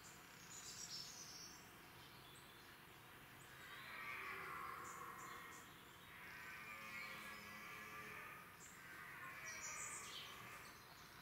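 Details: Huge wild red deer stag with 23 points, known as The Count, in the UK: three drawn-out, droning groans of about two seconds each, rising and falling in loudness, with faint bird chirps and steady outdoor noise behind.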